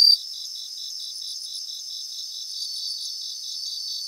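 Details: Bell crickets singing in grassland in Japan: steady high pulsed chirping in short repeated bursts, several overlapping insects forming a continuous shimmering chorus.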